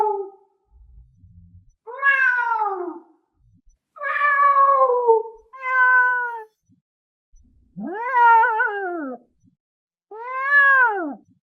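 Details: Lynx in its forest territory calling in a series of six nasal, harmonic yowls, some arching up and falling back, spaced roughly every one to two seconds with silent gaps between.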